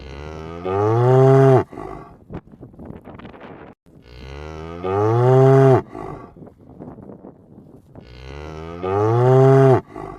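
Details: Roaming cow mooing three times, each long rich moo rising slightly then cutting off sharply, spaced about four seconds apart with soft rustling and shuffling between calls.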